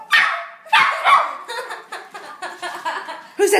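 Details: A four-year-old Jack Russell chihuahua mix barks at the dog in the Wii Music game: sharp yappy barks in quick bursts, the first two loud, followed by a string of softer yips, with a woman's voice talking to the dog.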